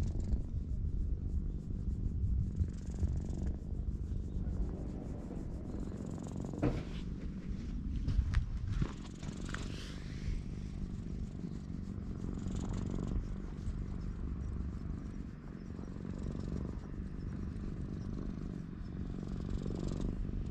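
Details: Relaxed ginger tabby community cat being petted in a cat shrine parking lot, GoPro HERO8 recording; a long, low, even purr rumbling throughout, interrupted by brief rustling and fur-rubbing noises in the middle.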